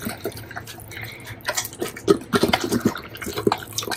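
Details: Doberman eating a pile of bacon, close-up for ASMR: wet, sticky chewing with dense irregular smacks and clicks, growing busier and louder in the second half, faint human voice murmurs around it.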